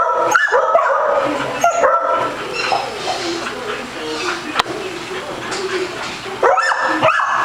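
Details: Playful female Basset Hound at a day care in Las Vegas, Nevada, chasing a ball; bursts of resonant barks at the start and again near the end, with a quieter stretch of background noise between.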